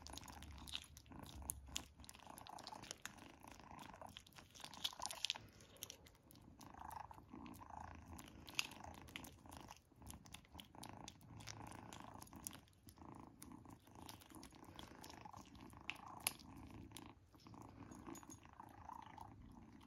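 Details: First treat for kitten Izzy, who keeps up a deep, even purr while chewing noisily, crisp bite clicks and crunches repeating every second or so over the rumble.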